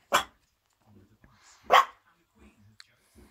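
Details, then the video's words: Miniature Schnauzer puppy barking at nothing: two short, high, harsh barks about one and a half seconds apart, followed by faint rustles and a woman's quiet voice. "Miniature Schnauzer puppy barking at nothing."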